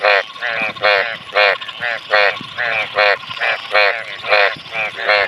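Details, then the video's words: Frogs calling in clean water during the Bhado monsoon rains: short nasal croaks with a stacked, harmonic tone, given in a steady series about twice a second, with a second caller overlapping and faint water noise beneath. "मेंढक का रियल आवाज"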